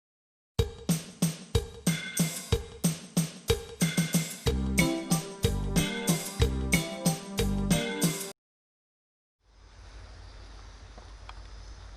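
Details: A rhythmic drum-driven music track plays for about eight seconds, stops abruptly, and gives way to a steady low hiss.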